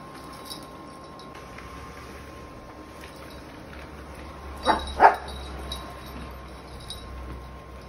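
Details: A Yorkshire Terrier reacting to a vacuum cleaner gives two quick, sharp, high barks over the vacuum's steady motor hum.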